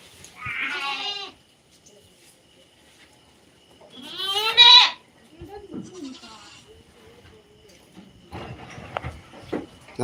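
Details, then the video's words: Native goat (naattu vellaadu) on a farm with two wavering, strongly harmonic bleats about four seconds apart, the second louder and rising, followed by low human voices and rustling. "நாட்டு வெள்ளாடு"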